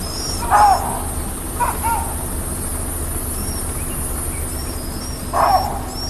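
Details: Chacma baboons in Rietspruit Game Reserve, South African Lowveld, give alarm calls after spotting a lioness on a sunset drive, 13 January 2024. Three loud, abrupt barks ring out, with thin high bird whistles and a low engine hum beneath.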